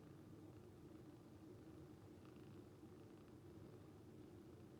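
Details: Calico cat Moko, a rescued cat, purring like snoring while asleep beside another cat, Nyantora; a soft, steady low rumble runs unbroken through the quiet room, with faint hiss above.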